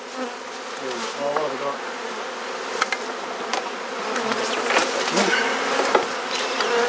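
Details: Honey bees humming around a hive being inspected in a Perth, Australia garden; a continuous buzzy drone that swells slightly, dotted with scattered clicks from handling.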